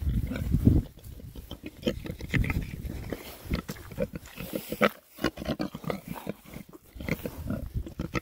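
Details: Six male rare-breed Oxford Sandy and Black pigs grunt and snuffle in low, rapid bursts while happily foraging outdoors in winter between storms.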